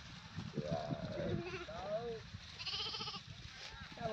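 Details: Goat bleating in wavering, quavering calls, two bleats close together near the start and a higher, strained bleat later, with people talking over and around the calls.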